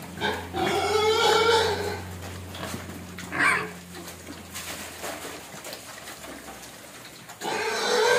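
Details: Hungry pig crying and begging for food: loud harmonic squeals early on, another sharp squeal near the middle, then a fresh burst of squealing at the end, over a steady low hum.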